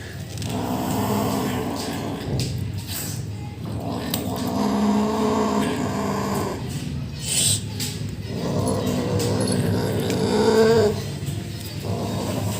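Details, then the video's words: Rescue kitten, a young male pet, growling while eating food indoors, in three long, low rumbling bursts of about two seconds each, separated by short pauses, with light clatter in the background. "Rescue kitten Making Annoying 😾 Sounds while Eating"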